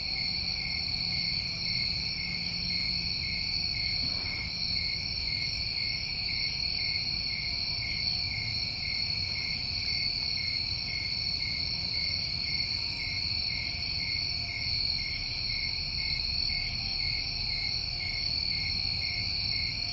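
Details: New England summertime crickets, many calling together in a steady, unbroken chorus of high, even trills layered at several pitches, with two brief hissing bursts near five and thirteen seconds over a faint low rumble.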